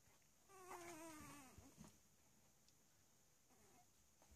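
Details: A three-week-old Cavalier King Charles Spaniel puppy at play lets out one drawn-out, slightly falling whine, then a faint short squeak later over quiet background hiss.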